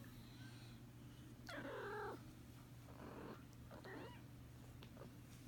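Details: Kitten yawning: a short, soft, drawn-out vocal sound with a falling tone, followed by a few faint brief squeaky sounds over a low steady hum.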